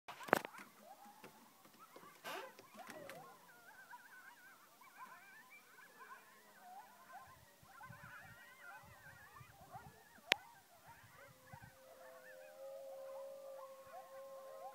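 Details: Coyotes and dogs howling at the moon: after loud knocks and clatter in the first seconds, many overlapping wavering, sliding howls build into a dense chorus, ending in long steady held notes.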